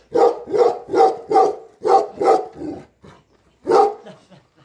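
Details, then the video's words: Guardian Tibetan Mastiff (Bhote Kukur) in Nepal watching over home and farm in the owner's absence, giving six quick deep barks, a pause, then one more bark and soft trailing noises. "घर र फार्ममा मालिक नहुदाको रक्षक || गोठालो भोटे कुकुर || Bhote Kukur || Tibetan Mastiff In Nepal"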